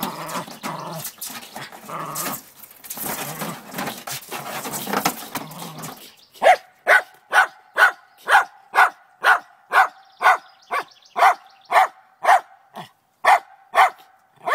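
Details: Trina, a Lakeland Terrier, barks at a chipmunk hiding in a downspout one morning, determined to get it; after about six seconds of scuffling and rustling noise comes a steady run of sharp, evenly spaced barks, roughly two per second.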